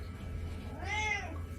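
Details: Domestic cat on a bed indoors giving a single arched, harmonic meow rising and falling over about half a second, against a low steady hum; a person tells it to get off the bed.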